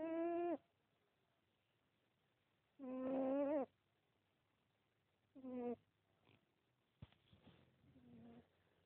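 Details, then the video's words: Sleeping pet cat named Pippin snoring: rough, buzzy nasal snores recurring every few seconds, with quiet pauses and faint breathy sounds between. "Cats snore too!"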